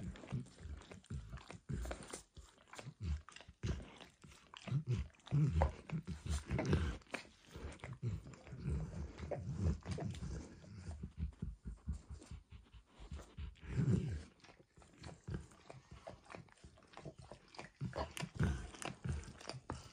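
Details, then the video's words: Dog working at a bumpy orange mat with food, the treat shifting from eggs to diluted peanut oil: heavy, thumping wet laps and slurps in uneven bursts, deeper and louder, recorded close in a quiet room. "ASMR Dog Licking"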